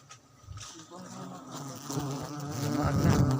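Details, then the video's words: Wild honey bees in Baganga make a steady, low droning hum that swells in loudness toward the end, with voices talking close by. "wild honey bee"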